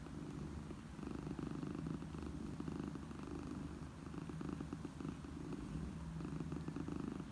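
A mother cat purrs steadily, a deep continuous rumble that soothes kittens.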